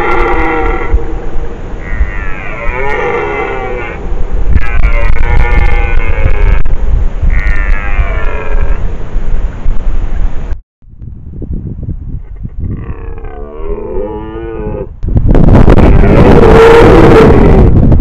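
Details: Red deer bellowing during the rut in the Apennine woods near Fiumalbo, Italy, caught by a trail camera: a series of rough, throaty roars in short pulses over heavy low rumbling noise, a pause, then louder grunting bursts close to the camera.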